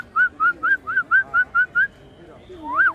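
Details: A gibbon at a zoo calling back to the person filming: a fast series of eight clear, whistled hoots in an even rhythm, then a pause and one louder, longer rising-falling whoop, with a person talking in Spanish before it.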